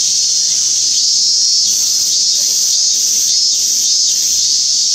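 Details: Minmin cicada, Hyalessa maculaticollis, recorded on 17 August 2016 in Japan: a loud, continuous shrill drone with pulsing bursts roughly every second layered over the steady high buzz, no other clear sounds.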